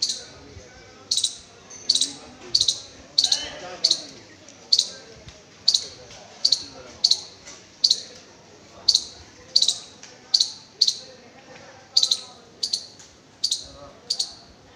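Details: A squirrel on a high school campus in Kanchannagar gives sharp, high chips repeated steadily about once every second.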